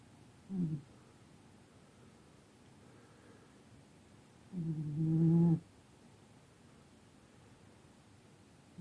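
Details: A sleeping cat snores in slow rhythm: a short low rasp, a long pause, then a fuller droning breath near five seconds, and another beginning at the very end.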